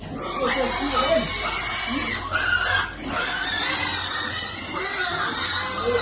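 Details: Young piglets crying out while waiting to be fed, with rising and falling high-pitched squeals in quick succession and a human voice mixed in.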